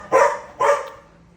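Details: Domestic dog barking at a cat: two sharp, loud barks about half a second apart, each a short harsh burst, followed by quiet.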